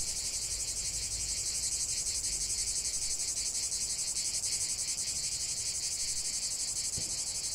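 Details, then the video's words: Many cicadas singing together in nature: a relentless, pulsing high-pitched rasp, constant in level throughout, with one faint brief tick near the end. "45 min de chant des cigales"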